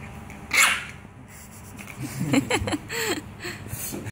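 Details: French Bulldog playing after its work time: a sharp sneeze-like snort opens, then a quiet pause before a run of short, curving whiny grunts and whimpers, some rising then falling, with soft snuffling breaths in between.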